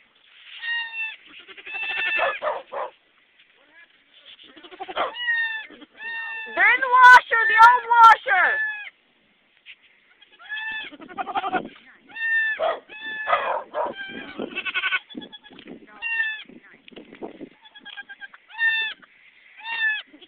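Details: Nanny goat giving birth to kids, three born alive: rapid series of short, high, quavering bleats repeated over and over, with a louder cluster midway, mixed with human voices.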